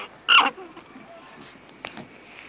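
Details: Alpaca named Diego, who thinks sharing is overrated and is telling everyone how he feels: one brief, harsh, high shriek with stacked harmonics lasting under a quarter second, then near quiet with a faint click.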